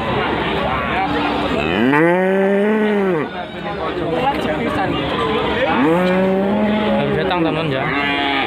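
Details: Cattle at the Wage livestock market in Panggul, Trenggalek, Indonesia, newly arrived and being unloaded: two long, loud moos, each rising then falling in a smooth arch and lasting about a second, with people talking and market bustle behind.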